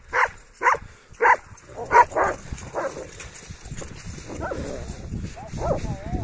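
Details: Kangal dogs tested on a dead wolf: five loud, abrupt barks in the first two and a half seconds, then softer wavering vocal sounds mixed with human voices and outdoor rumble.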